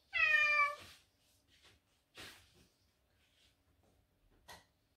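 A Cornish Rex cat gives one clear, rising-then-falling meow, followed by a couple of soft rustling sounds.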